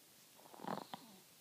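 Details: Sleeping Chihuahua snoring: a short cluster of rough, snorting breaths swells and fades within half a second, then one final brief snort, over faint room hiss.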